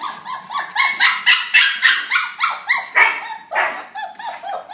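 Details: Several puppies socializing, giving a quick steady series of bright, high-pitched yips and little barks, nearly four a second, each call sharp and slightly falling.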